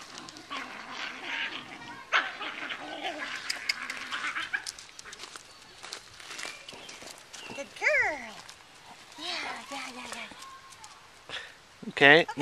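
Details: Excited Welsh Terrier puppy, nine weeks old, on a lead with its sister on a deck outdoors: a man talks, then sharp rising-and-falling squealing whines break out three times, the last one loud and piercing.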